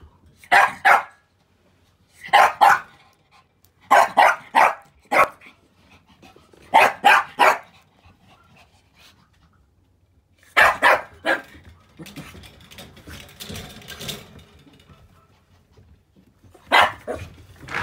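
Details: Puppy named Honoka, filmed on October 7, barking in short bursts of two to four sharp yaps with pauses of about a second between groups, plus a stretch of rustling household noise near the end.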